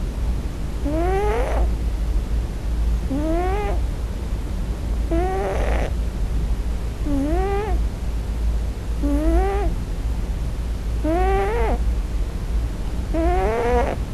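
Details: A male Scottish Fold kitten, on his first night in a new home, gives short rising cries about every two seconds in his sleep, crying for his mother; the cries were first mistaken for snoring.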